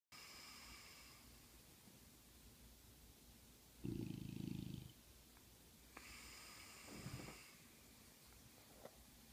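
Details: Butler the bulldog snores so hard he wakes himself up: faint rasping breaths, then a loud harsh snort-snore near the four-second mark and a shorter rough one around seven seconds, over a quiet steady background hum.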